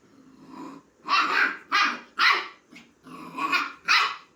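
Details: Puppy calling a kitten to play, giving a series of short, rough barks and growly yaps in quick bursts, about six in four seconds.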